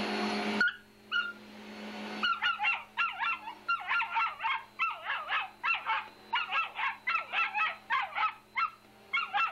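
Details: After a short blast of vacuum-cleaner roar, an angry female pet dog fires off a long, nearly continuous run of high, clipped barks aimed at the machine. A low steady hum stays underneath.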